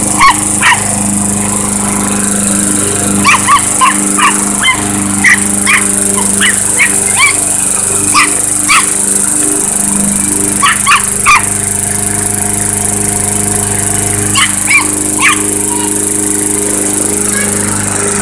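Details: Chihuahua barking against a lawnmower: bursts of rapid shrill yaps, often two or three in quick succession, repeated through the recording with brief pauses, while the mower engine hums steadily underneath.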